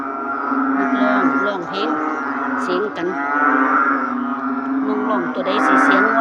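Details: A dense chorus of narrow-mouthed frogs, many voices calling at once; low, nasal, moaning calls overlap into a steady drone, rising and falling in loudness, with occasional brief higher clicks.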